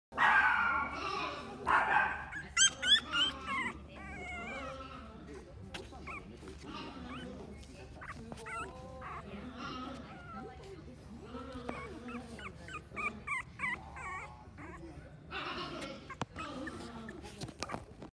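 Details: Pomeranian puppy indoors in a pet shop, giving rapid strings of short high yelps and whining barks, some bursts fast and clustered, others spaced, with a person talking in the background.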